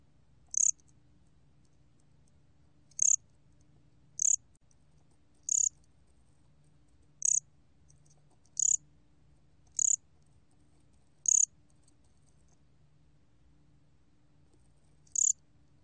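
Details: Cricket (곰귀뚜라미), 2020 recording from Korea's National Institute of Biological Resources: nine crisp high chirps repeated roughly every one to two seconds, then a longer gap before the last, with a faint low hum throughout.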